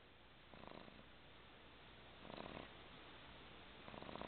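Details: Twelve-week-old pug puppy asleep on a lap in a recliner, snoring softly indoors: three faint, rasping breaths, each lasting about half a second, spaced roughly every one and a half seconds in a quiet room.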